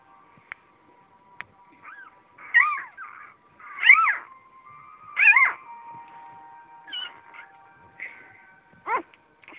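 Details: Several Vizsla puppies letting out loud arched whines and squeals in bursts roughly every second or two, some faint chirping cries between, quiet background otherwise.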